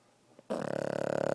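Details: Sleeping six-year-old Pug named Jake gives a sudden loud snore that starts after near silence and continues as a fast, fluttering, throaty rattle.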